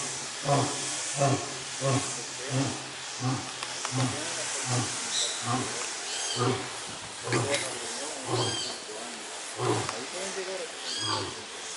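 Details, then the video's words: Gruñon, the lion kept at FURESA zoo, utters a steady series of short, low grunts, roughly one every second, over a hissy background with faint voices. "Leon Gruñon Rugiendo"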